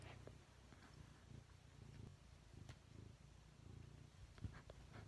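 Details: Steady low purring from a cat, continuous rumbling pulses with faint scattered clicks throughout.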